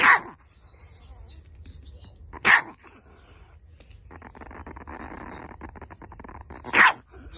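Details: Angry Chihuahua named Mio giving three sharp, loud barks spaced a few seconds apart, with a rough, noisy grumble running between the second and third bark.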